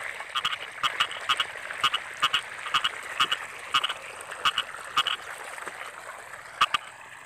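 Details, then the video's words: Croaking frogs in rice fields in the rainy season, loud paired nasal notes repeated roughly every half second, set against a humming background chorus and occasional sharp clicks. "Suara Kodok"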